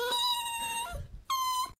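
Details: Dramatic Dachshund indoors giving long, clear, high-pitched whines: a steady drawn-out tone of nearly a second that dips at its end, a brief breathy pause, then a second level whine of similar pitch.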